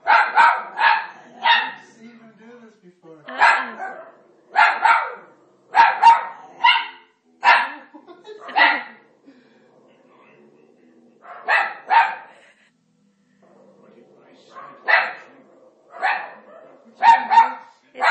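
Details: Italian Greyhound, a male dog indoors, barking at the TV during The Ten Commandments, a habit seen before; sharp barks in quick runs of two to four, with a pause midway and faint voices behind.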